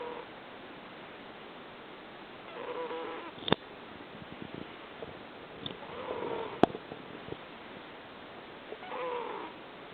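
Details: Rescued domestic cat in Fukui, Japan, snoring 'puu puu' while asleep: soft, breathy, rasping snores roughly every three seconds against steady background hiss, with a couple of sharp clicks.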